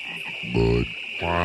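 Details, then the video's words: Frogs croaking non-stop at Great Falls National Park in McLean, Virginia: two deep, buzzy, harmonic croaks about three-quarters of a second apart, over a steady high-pitched droning chorus in the background. "Frogs Croaking at Great Falls National Park in McLean, Virginia. Non-stop croaking"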